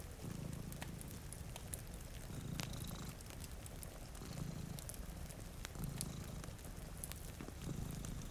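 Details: Deep, rhythmic purring comes from two cats sleeping beside a rain-streaked window. Each rumbling breath cycle lasts roughly one and a half seconds, with fire crackles popping throughout and gentle rainfall in the background.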